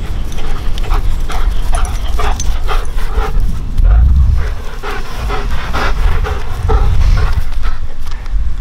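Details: German Shepherd brothers playing together in a back yard; rapid rhythmic panting and breathy huffs pulse through the clip, with scuffling and deep low rumble underneath throughout.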